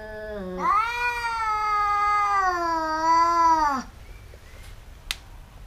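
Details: Domestic cats fighting, two that keep biting each other: a low note jumps into a loud, sustained, slightly wavering howl held about three seconds, ending in a downward slide, then quiet with a faint click.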